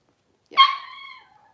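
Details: Blenheim Cavalier King Charles Spaniel puppy, twelve days old, one of a litter of five born at New Year 2023; a single short whining yelp that starts sharply, then slides down into a thin fading whine, against near silence.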